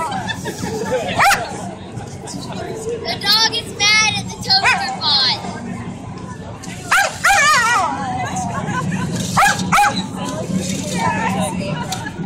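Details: Dog at the Atlanta Maker Faire barking at a toaster, giving scattered bursts of sharp barks and higher yips, several in quick clusters, over a constant murmur of people talking nearby.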